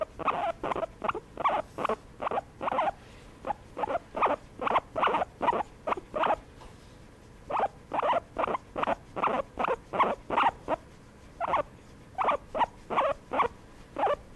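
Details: Massaged guinea pig utters long runs of short, bright squeaky pulses in quick succession, with a few brief pauses breaking the rhythm across the stretch.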